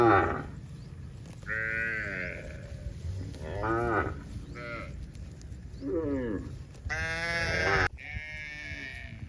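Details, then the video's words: Cows in a herd walking home across a countryside pasture in light evening rain, with calves following; several harmonic moos and bleating calls of rising and falling pitch, some long and strained, over steady low rumble and rain noise. "Cows Walking Home in the Drizzle"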